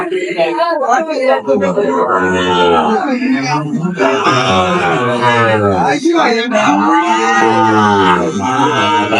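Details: Sahiwal bull calves at a cattle market, bought by a farmer from Chattogram on 23/5/25, lowing in long, drawn-out moos that rise and fall, one after another, while men's voices haggle over prices in the background.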